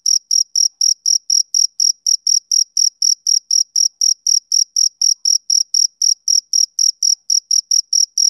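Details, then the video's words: Male cricket chirping, a sound of summer evenings: high, clean pulses repeated about four times a second in an even, unbroken rhythm, with no other sounds present. "Cricket Chirping Sound Effect"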